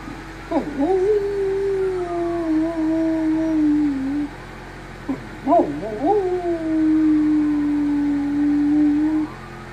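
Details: A Great Dane/Great Pyrenees mix dog gives two long, low howls, each opening with a quick yelping swoop.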